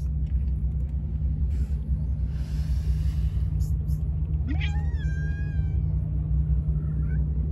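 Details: Hungry one-eyed stray cat at a street feeding, guarded from other cats stealing its food; a single rising-then-falling meow near the middle over heavy low traffic rumble.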